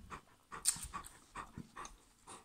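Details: Bernese Mountain Dog eating watermelon; breathy panting bursts repeat about every half second, with a few sharp clicks and soft voices nearby.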